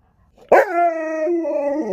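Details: Pet Alaskan Malamute named Sherpa gives a sudden, loud, drawn-out vocal howl in reply to a smart speaker at home, a rich harmonic tone holding steady then dipping lower near the end.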